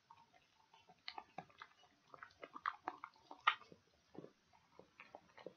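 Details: Dog munching pig ears in an ASMR recording: steady run of moist crackling chews and tearing clicks, rising to a sharp crunch midway, then softer irregular gnawing.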